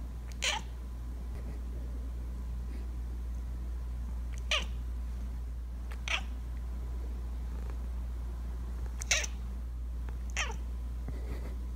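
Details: Bengal cat talking in its sleep; five brief, soft chirping sounds scattered across about twelve seconds, over a steady low electrical hum.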